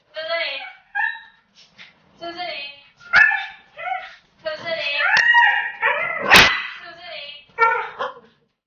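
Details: Siberian Husky scolded by its owner, answering back with a dramatic, exaggerated howling protest: a run of wavering, drawn-out yowls and whines, some rising and falling, mixed with a woman's scolding voice.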